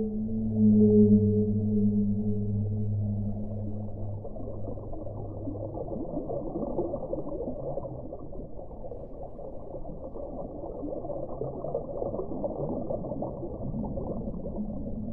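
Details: Whale underwater: a long, low harmonic moan held steady for about six seconds, then fading into a broad rushing wash of water noise.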